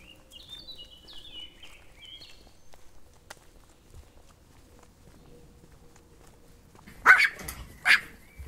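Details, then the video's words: Dog barking twice in loud, sharp bursts near the end, after a long quiet stretch with faint chirping birds at the start. "Dog Barking Videos"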